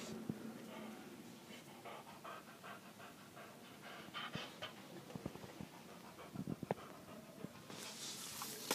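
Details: Moza, a female boxer dog, pants softly in quick, rhythmic breaths, a faint steady huffing with a few sharper clicks and rustles toward the end.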